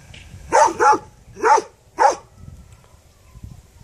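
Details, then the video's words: A dog barks four times in quick succession, two close together, then two more spaced about half a second apart, followed by quiet low background rumble. "The dog is barking"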